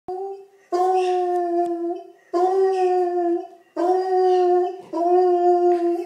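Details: A hound dog baying, giving four long, steady, mournful howls of about one to one and a half seconds each, separated by short breaths, with strong clear tones and no other sounds.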